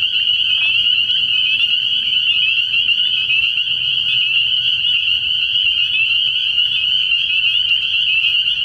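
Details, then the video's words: Night-time frog pond in early spring alive with spring peepers, a constant high ringing chorus of overlapping peeps with quick upward-sliding notes and a weak low hum below. "Relaxing Tree Frog Sounds"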